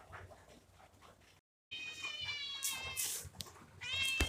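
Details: Kitten uttering a thin, very high-pitched meow lasting over a second with a steady, slightly wavering tone, then a second short high cry near the end, with a brief gap of silence and faint background rustling.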